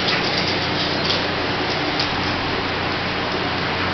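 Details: Steady broadband hiss like heavy rain on a surface continues without a break, and no animal voices stand out.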